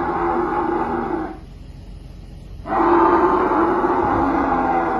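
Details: She-camel being rescued from inside a well, giving loud, sustained, rough groaning roars that break off for about a second and a half, then resume strongly and hold steady to the end.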